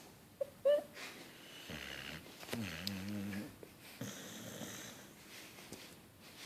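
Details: Tired beagle asleep indoors, snoring and twitching before waking startled: a short whine, then low rasping snore breaths with stacked harmonics around two and three seconds, followed by softer wheezy breathing.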